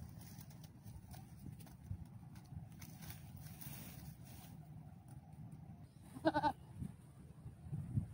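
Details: Domestic goat during mating with a breeding buck, giving one short harmonic bleat about six seconds in, with a few soft bleats near the end, over steady low rumbling farmyard background noise.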